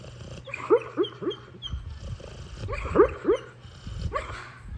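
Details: Sleeping pit bull talking in its sleep: soft, short whimpering squeaks and muffled yips in irregular bursts, some in quick pairs, over a low steady hum and faint snoring-like rumble.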